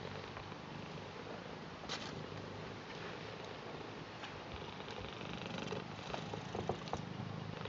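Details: British Shorthair cat Garfield purrs in welcome and affection for its grandad, a continuous low vibrating rumble with even pulsing, plus faint clicks and small knocks indoors.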